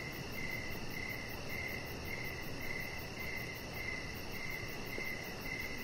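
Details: Outdoor evening chorus of crickets: clear, high chirps spaced a little over half a second apart, with a soft continuous droning background and faint higher pulsing insect noise.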